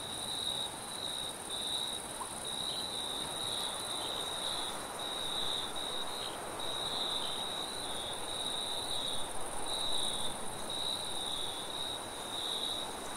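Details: Night-time forest crickets trilling high and continuously in short bursts with brief gaps, a faint higher overtone band, and a soft steady wind rush underneath.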